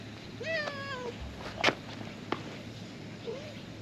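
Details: A stray cat sheltering beneath a truck talks to someone drawing near. It gives one drawn-out wavering meow that falls in pitch, with a click and a sharp knock in between, then a brief quiet mew at the end.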